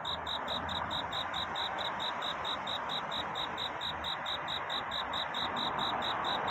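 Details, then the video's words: Cricket courtship chorus at night, shrill chirps ticking along in a fast, regular rhythm over a steady hiss. "귀뚜라미 울음소리. 슬퍼 말아요 우는 것이 아니라 사랑을 찾는 노래랍니다"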